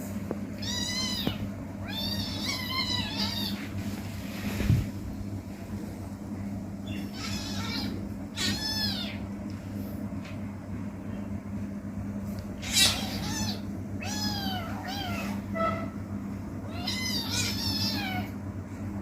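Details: Kitten meowing while playing: a series of high, wavering harmonic meows, some short and some drawn out, in clusters spread across the recording over a steady low hum.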